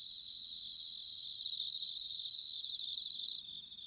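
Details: Bell cricket in autumn, recorded at Sanuki in Chiba Prefecture, Japan: a clear ringing high trill that rises sharply at about 1.4 seconds, dips, then returns as a rapid pulsed burst before stopping abruptly near 3.4 seconds.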